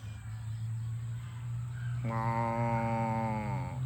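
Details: Cows running home to the barn on a farm; after a quiet start, one long steady moo sounds halfway through, rich and harmonic, holding its pitch before dipping slightly at the end, over a constant low rumbling hum.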